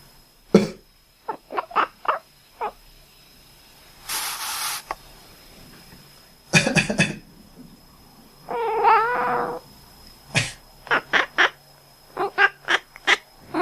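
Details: Indoor pet cat that quacks whenever someone coughs: a mix of short clipped quacky chirps, a harsh human cough, and a longer wavering meow-like cry, followed by a rapid run of brief nasal calls.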